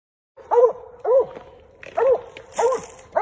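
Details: Redbone Coonhound named Joe baying at a treed raccoon during a night coon hunt: four loud, drawn-out bawling notes with a rising-then-falling arc, spaced roughly every 0.7 seconds, in an otherwise quiet setting.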